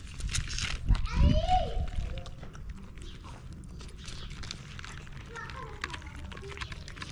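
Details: Stray cat on a Moroccan street asking for food: one clear arched meow, rising then falling, early on, then a few faint, short mews over steady outdoor background noise and rustling.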